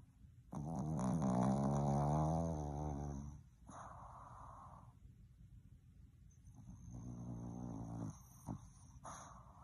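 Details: A Boston Terrier that isn't ready to wake up lets out a long, low, drawn-out groan, then softer grumbling moans.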